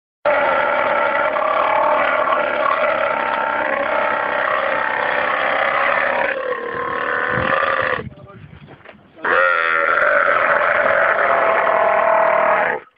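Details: Two camels crammed inside a car give a loud, raspy, harmonic groaning bellow lasting about eight seconds, a brief break, then a second long throaty rumble.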